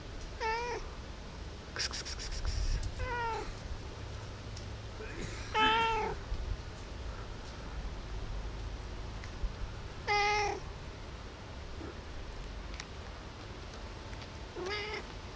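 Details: Early-morning cat at 5 a.m. meowing for food: five short, bright meows, some bending downward, spread irregularly across the stretch, with a brief rattling clatter near the start.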